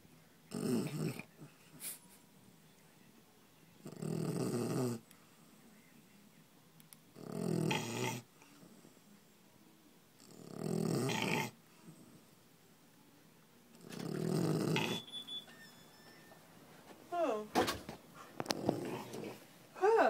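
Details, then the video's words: Fannie the dog asleep during office hours at Island Pet Resort & Spa, snoring in five loud, rasping breaths spaced about three and a half seconds apart, with quiet gaps between them; faint squeaky and rustling sounds follow near the end. "Snoring Fannie"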